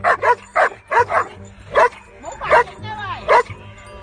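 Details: Siberian Husky giving a run of short, harmonic, yelping barks and whiny vocal bursts, about eight in four seconds at an uneven pace, some sliding up and down in pitch, with quiet background between them.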